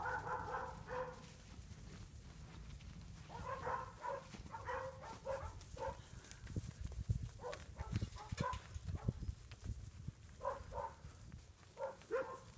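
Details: Sheep guard dogs bark from behind a fence on a farm while a herding dog works bulls between the barns. The barks come in rapid runs of harmonic yelps, with short pauses between bursts, over low rumbling ground noise and a man's commands.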